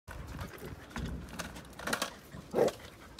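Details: A Golden Retriever that hates skateboards gives a single short, mid-pitched bark at a skateboard over a steady rumbling background; Golden Retriever.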